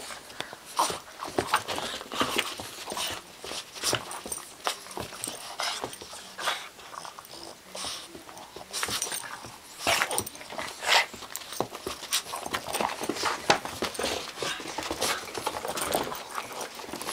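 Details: A 2-month-old bulldog puppy playing with a Boston terrier; the dogs give short, breathy snorts, grunts and the odd soft whimper in rapid, uneven bursts.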